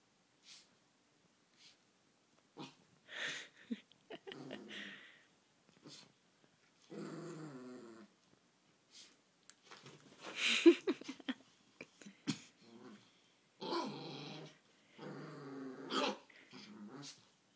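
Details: Small male Chihuahua indoors, crying by a nightstand to ask for the laser pointer: a series of harmonic, whiny and growly moans in separate bursts of one to two seconds, with short pauses and a sharper yelp near the middle.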